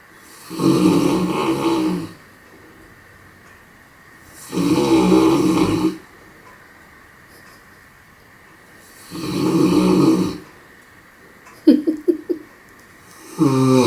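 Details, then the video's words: Raissa, a sleeping dog, snores loudly: three long, rasping, deep snores spaced about four seconds apart, each lasting over a second, followed by a few short snorting breaths at the end. "Raissa, der am lautest schnarchende Hund der Welt"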